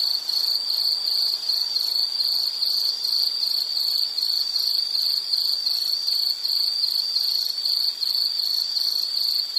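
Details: Insect chorus meant as relaxing background sound for studying or sleep, a continuous shrill trill of quick regular pulses at one high pitch, never pausing, with faint hiss beneath.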